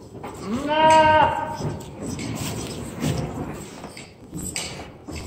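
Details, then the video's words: Angora goat bleating while being sheared the old-school way with hand scissors: one loud, wavering, nasal bleat lasting about a second, followed by quieter rustling and handling noises. "Old School Angora Goat Sheering"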